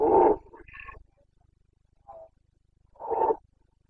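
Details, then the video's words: Roaring Carpathian stag during the autumn rut in Bucovina, Romania, September 2022: a loud harsh bellow sliding into a higher, strained note, a brief soft grunt, then another full throaty roar. "Boncănit / Carpathian stag Breeding season 29.09.2022"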